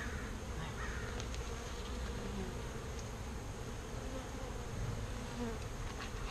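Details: Bees being rescued from a birdhouse and moved into a proper bee box: a dense, steady droning hum of many active bees over a heavy low rumble.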